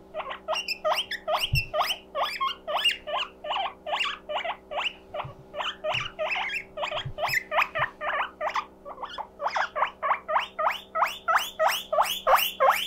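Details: Mokohei the guinea pig calls for company when lonely, his 'puipui siren' a string of shrill rising squeaks about three per second, some doubled or broken, over a steady background hum and an occasional soft knock.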